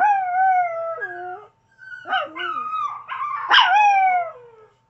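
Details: Howling by Chevy, a pet Chihuahua: a steady drawn-out tone dropping at its end, a brief gap, then warbling, wobbling howls climbing into a sharp yelp that slides back down.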